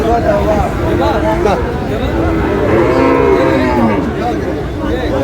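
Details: Sahiwal bull calves bought by a farmer from Chattogram on 28 August; a drawn-out, wavering low moo rises and falls mid-clip beneath constant crowd chatter and bargaining voices.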